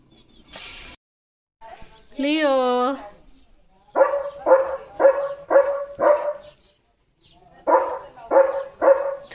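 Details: Pet German Shepherd at home: a drawn-out, wavering whine-like cry, then a run of five clipped barks roughly every half second, a short pause, and four more barks; a man speaks briefly.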